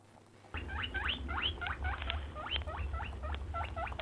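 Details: After half a second of near quiet, a rabbit or hare breaks into fast repeated rising squeaks, some stacked in pairs, against a low steady rumble.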